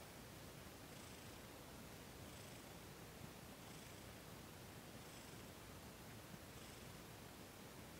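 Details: Faint, steady purring from Thomas, a cat with sensitive paws, while being massaged during a December 28, 2021 Reiki session; gentle rhythmic pulses recur about every one and a half seconds over a hissy background.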